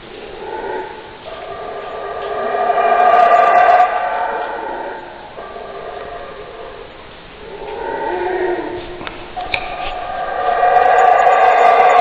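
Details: Howler monkey giving hoarse, drawn-out roars that rise and fall in waves. Three sustained bouts are separated by softer stretches, with the loudest swell near the middle and another building at the end.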